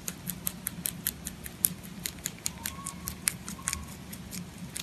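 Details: Rabbit named Pontan chewing food: quick, light, evenly spaced crunching clicks, roughly two or three per second, over a soft low room hum, with a faint thin tone in the second half.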